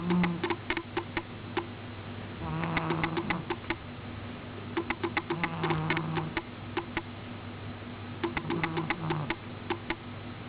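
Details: Snoring from Miina, a cat in deep sleep: low humming snores recur roughly every three seconds, each a short nasal drone, over a steady low hum and scattered crisp clicking.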